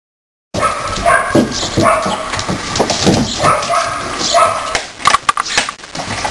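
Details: Siberian Husky puppies, four weeks old, play fighting among littermates; short yips, squeaky whines and growly snarls tumble over one another against a steady noisy background, with a brief human voice mixed in.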